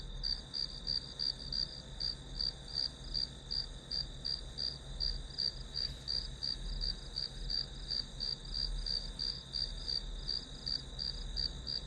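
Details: Grass insects chirp as white noise for studying, with crisp high pulses in clear, evenly spaced bursts of about three per second over a faint background drone.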